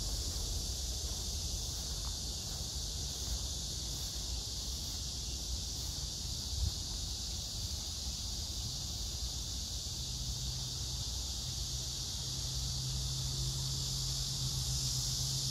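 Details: Steady shrill drone of cicadas and grass insects at Hwarang Park near the Gyeonggi Museum of Art in Danwon-gu, Gyeonggi Province, 9 August 2024, crape myrtle in pink bloom. The buzz never pauses; a low hum joins in the second half.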